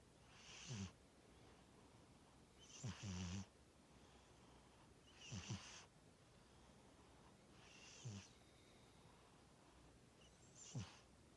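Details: Domestic cat snoring while asleep: rough, rasping breaths with a low rumbling base and hissy top, repeated roughly every two and a half seconds, five snores in steady rhythm.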